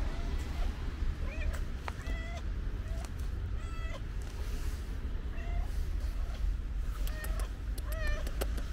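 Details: Pink-nosed street cat, stray and affectionate, meowing repeatedly: short bright mews, some with an upward bend, arriving roughly every second, set against a steady deep hum and a few sharp clicks.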